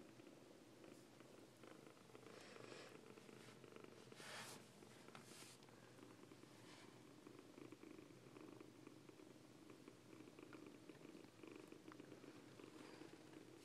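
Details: Foster Siamese kittens purring steadily and continuously, a soft rhythmic rumbling that holds throughout, with occasional brief clicks and rustling handling noises over it.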